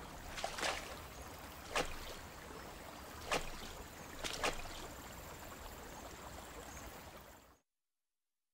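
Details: Rushing water hiss broken by four sharp splashes about every one and a half seconds, then sudden silence.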